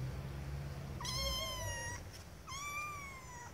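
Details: Two clear, high, drawn-out kitten meows, each about a second long with a quick rise then a level, slowly falling tone, kittens seeking their owners' attention, over a low background hum.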